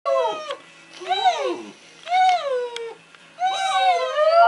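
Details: Border Terrier, newly taught to howl, joining in as a person whines at it indoors; four bursts of high, drawn-out tonal wails that rise, then bend down, with short pauses between them.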